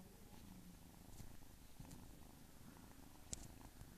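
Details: Domestic cat, a female that had been lost for two days and was sick, purring steadily as a low continuous rumble with faint rhythmic pulses, a brief click near the end.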